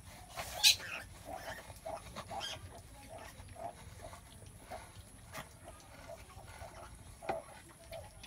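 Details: Domestic sow giving birth, in labour, making short grunting calls spaced through the recording, with one louder harsh burst near the start and soft background rustling.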